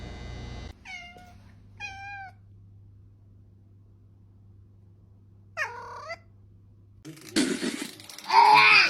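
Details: Domestic cat meowing: three short, falling meows in the first two seconds, a longer wavering meow near six seconds, then loud music takes over at the end.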